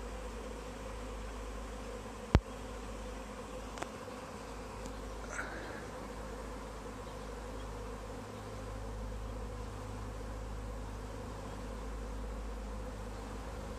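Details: A honey bee swarm in a tree being caught into a bag, giving a steady low buzzing drone, broken by a loud click early on, a softer tap, and a short high chirp.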